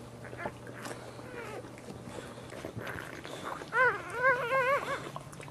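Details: Boxer JuneBug whelping indoors, her second of four puppies born as she stands. Near the end, three quick, loud, wavering whimpers follow a stretch of soft shuffling; a low hum runs throughout.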